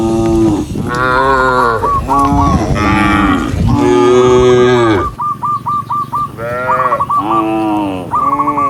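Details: Tame cows walking as a group on a countryside path at sunset, calling others to return home: a dense run of overlapping, bellowing moos, some long and some clipped, with a rapid string of short high chirping notes throughout.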